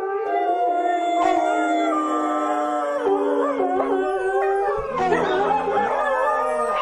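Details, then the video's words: Dogs howling: sustained steady tonal howls with strong harmonics, then a surge of wavering, rising and falling howls from overlapping voices toward the end. "Köpek Uluma sesi/dog Howling sound"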